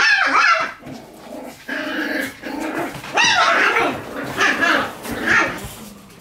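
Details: Several Shiba Inu puppies in a busy puppy room yip and whine over one another in an almost unbroken chorus of high, wavering cries, louder bursts coming every second or so.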